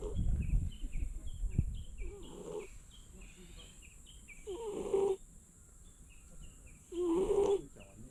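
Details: Sleeping stray cat on Tashirojima cat island gives three rough, buzzy snores about every two and a half seconds, after a brief low rumble at the start, with thin high chirps in the background.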